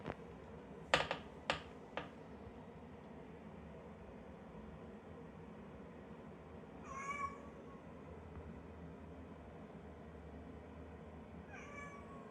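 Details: Domestic cat, with calico and brown tabby coats named, gives two short harmonic meows, one near seven seconds and one near twelve, after a few sharp clicks and taps at the start, over a steady low hum.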